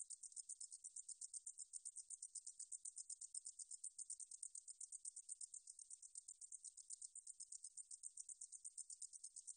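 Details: A meadow katydid sings in a 2020 National Institute of Biological Resources recording, a constant high sizzling trill of quick, regular pulses that holds steady from start to finish, with no other sounds.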